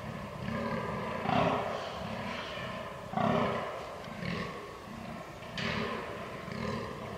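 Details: On 22 October 2022, during the rut, a fallow deer gives deep, belching groans in a steady series, about two every second.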